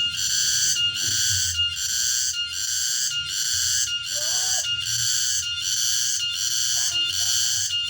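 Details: Late-afternoon song of a cicada, called tonggeret, recorded in the remote countryside: an intense high-pitched buzz pulsing in regular bursts about every 0.8 seconds, with faint low rumbling and a couple of soft brief sounds.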